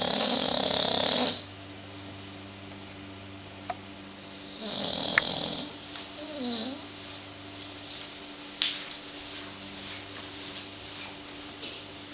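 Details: Snoring from sleeping bulldogs: one harsh breath at the start, a softer snore midway with a faint whistled wobble, then quiet breathing broken by small clicks and snorts.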